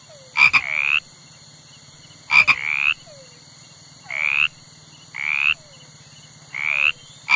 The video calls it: Sapo - Som de sapo - Sapo fazendo barulho